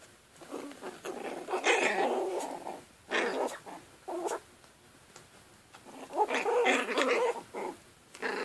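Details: Playing Chihuahua puppies make rough little growls and squeaky grumbling bursts, several in quick succession with short gaps, inside a small room.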